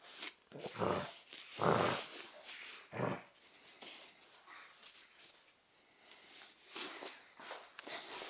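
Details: Cavalier King Charles Spaniel Roma, filmed in 2013, tussling over her favourite teddy bear: three loud, rough growling bursts in the first three seconds, then softer snorts and scuffling noises.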